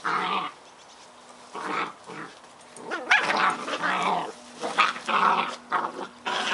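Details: Scottish Terrier puppies at play, several short bursts of growling and yapping broken by brief pauses, the noisy voices fairly high and rough, with a faint steady hum in the background.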